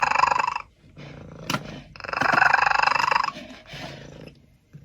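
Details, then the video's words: Domestic cat making strange sounds, called mean by its owner: a harsh, buzzy, pulsing growl-yowl in two long bursts with a short sharp click between them and a quieter drawn-out growl after. "The cat is making strange sounds"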